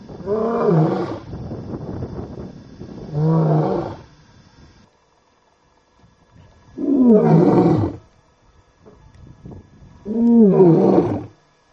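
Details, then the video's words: Wild male lion near the Talek gate, Masai Mara, Kenya, roaring before sunset after lying beside a vehicle, possibly preparing for a night hunt; four deep, harmonic moaning roars in pairs, loud bursts separated by quiet gaps. "Lion Up Close & Roaring"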